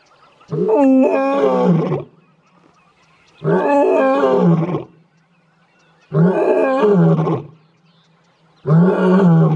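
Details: Male lion in the wild near Leeupan, Kruger National Park, one of a trio of males, vocalizing in the morning: four powerful, gruff roars of about a second and a half each, repeated roughly every three seconds with brief silences between.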